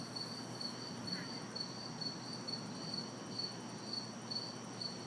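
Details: Backyard night ambience in the city on a hot, humid summer evening. Crickets and cicadas give bright, evenly spaced chirps about twice a second against a low wash of faraway traffic.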